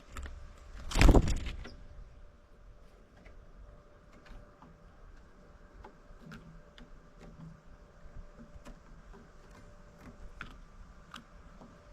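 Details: A loud mechanical thump near the start, then a low steady hum with faint scattered clicks and no animal voice.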